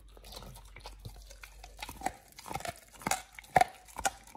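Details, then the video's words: Oliang the Pit Bull chewing a raw ostrich paw indoors: soft wet mouthing sounds that build into sharper crunches and clicks toward the end, about two per second. "Oliang the Pit Bull 1st time eats Raw Ostrich PAW [ASMR] BARF | MUKBANG 動物の咀嚼音 | 犬が生の肉を食べる"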